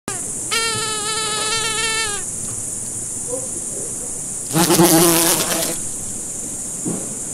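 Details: Fly buzzing: a steady, droning, harmonic-rich buzz holds for almost two seconds, then a louder rasping burst returns around the middle, all over a constant high hiss and faint low rumble.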